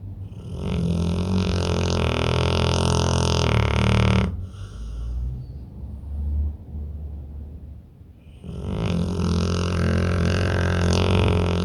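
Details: Pit bull snoring in deep sleep: long, rough, droning snores with deep layered tones, each lasting about four seconds, separated by a quieter pause of breathing.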